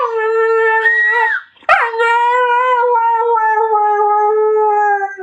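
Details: Husky dog howling: a long, sustained, steady tone rich in overtones, wavering slightly and dropping gently in pitch, with a brief break midway before the howl resumes and holds to the end.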